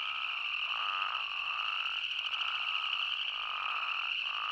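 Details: Arizona spadefoot toads calling in the Arizona outdoors: a steady high ringing chorus with lower, bleating notes swelling and fading every second or so, many callers overlapping without pause.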